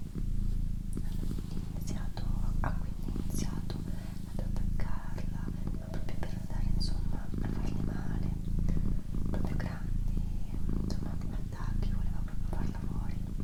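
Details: Purring of a pet female cat in an ASMR recording: a dense, low, unbroken-sounding rumble with faint breath pauses, accompanied throughout by soft whispering and scattered crisp clicks.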